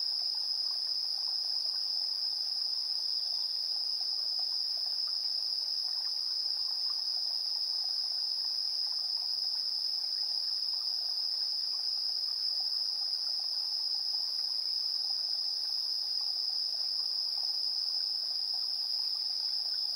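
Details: Evening insect chorus, 7:04 PM, 3 September 2022, on a TASCAM Portacapture X8 recorder: a relentless shrill ringing tone with a faint very high whine above, steady in loudness, over gentle scattered chirping lower in pitch.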